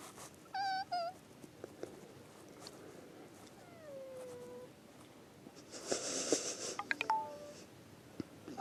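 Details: Cat making cute sounds: a pair of quick, warbling trilled chirps, then a longer falling meow, followed by rustling noise and a short rising-then-falling meow near the end.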